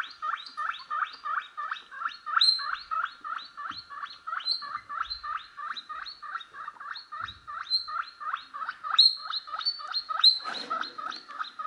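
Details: A steady run of short, squeaky guinea pig chirps, about three each second, as a pet guinea pig reacts to recorded guinea pig noises.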